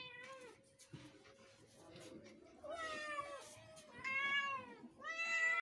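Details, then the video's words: Kittens meowing amid a background hum: a faint meow at first, then louder, clearer meows swelling and falling, coming closer together toward the end. "My all kittens is saying meow meow"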